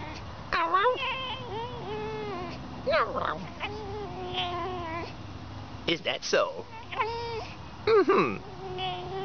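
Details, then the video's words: Squeaky, dolphin-like fox calls: repeated whining and mewing cries with wavering pitch, some sliding up and down, mixed with a person talking softly to the animal. "A fox that looks like a dog, acts like a cat, and sounds like a dolphin"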